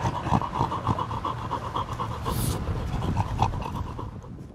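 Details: Field-type Labrador Retriever panting during ball play: quick, steady huffs at about four per second, each a short breathy pulse, over a low rumbling background with one brief hiss near the middle.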